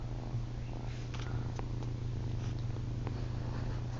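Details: Ollie, a female kitten, purring at night while trying to nurse on a person's chin: a steady, low, continuous rumble throughout, with faint soft clicks and rustles above it indoors.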